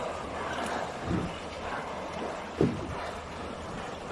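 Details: Steady wind rumble and engine-like noise from a boat fill the recording, with water in the background. Two short low knocks stand out, but no clear animal call can be picked out.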